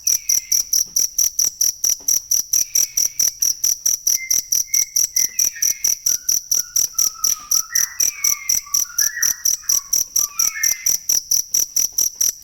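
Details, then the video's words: Steady, rapid, high cricket chirps, about four a second, recorded for songbird training, continue while a series of softer, lower whistled notes steps up and down in the background through the middle of the clip. "ASLI SUARA JANGKRIK BUAT MASTERAN BURUNG"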